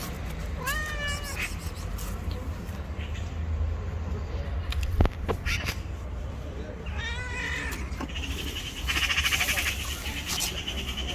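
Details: Angry, jealous white female cat living on the street gives two drawn-out, harmonic meows that fall at the end, several seconds apart, over steady low traffic rumble, with a sharp click midway and a brief noisy burst near the end.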